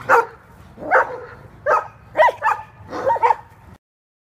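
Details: Playful Kuvasz romping in California gives a close series of six hoarse barks, about one every half second, some doubled into quick yelping pairs, then silence.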